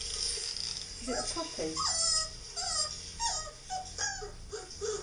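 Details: Whining husky puppy heard by reacting Labradors: repeated short, bending whimpers over steady hiss and background noise, with people talking softly about the puppy.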